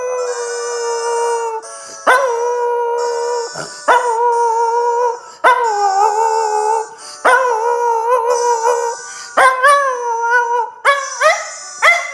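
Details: A 2½-year-old male Miniature Schnauzer sings along to the violin piece Pachelbel's Chicken, howling in long, wavering, mid-pitched notes of one to two seconds with short breaks, squeaky honking music underneath.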